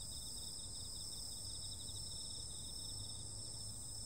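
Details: Short stretch of a summer-night insect chorus: rapid pulsing high trills and steady shrill tones run without a break over a low, droning background hum.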